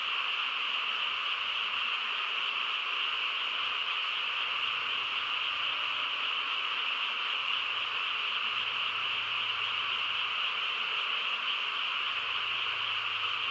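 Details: Many frogs in the quiet rural night produce a constant wall of rapid, overlapping trilled calls, steady in pitch and loudness throughout, with a soft low hum audible faintly now and then.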